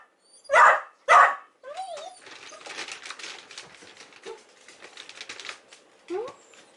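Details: Pet dog kept home on a rainy day during coronavirus infection prevention, barking indoors: two sharp, loud barks in quick succession, then quieter scattered rustling and brief high sliding squeaks, with a voice in the room.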